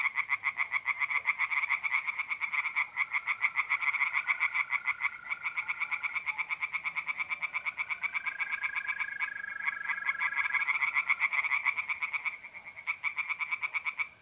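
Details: Tree frogs singing by night at a pond in mid April, North-East Italy: rapid pulsed croaks around seven per second in a dense overlapping chorus, with steady high tonal trilling of mole crickets running underneath.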